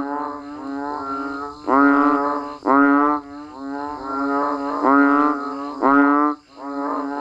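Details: Banded bullfrogs and frogs calling in rain in the countryside: nasal, bleating calls with stacked harmonic tones. Several animals overlap, with louder calls every second or so rising over a steady droning chorus.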